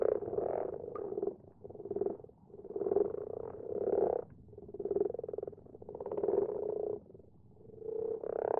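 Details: Common frogs croaking at night in a garden pond: low purring croaks in bursts of about a second, separated by short quieter gaps, several frogs overlapping throughout.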